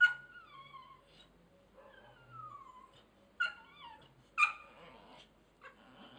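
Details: American Bulldog named Ektor whining: thin, high tones sliding downward in drawn-out whimpers, with two sharper yelping bursts later on, over a quiet low rumble.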